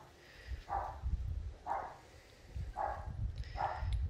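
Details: A neighbour's dog barking in the distance while a pet dingo eats raw meat and bones: four short, muffled barks about one second apart over a low rumbling, rustling background.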